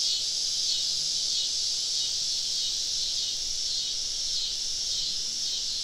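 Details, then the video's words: Numerous cicadas sing around campers deep in a forest on a summer evening, making a steady, sizzling high-pitched chorus that rises and falls slightly in slow waves. "Southern Evening Summer Cicada Symphony"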